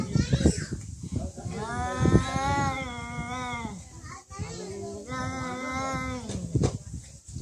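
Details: Cats in a real fight give two long, drawn-out, wavering yowls, each lasting well over a second and swelling then sagging in pitch, while people chatter and laugh nearby.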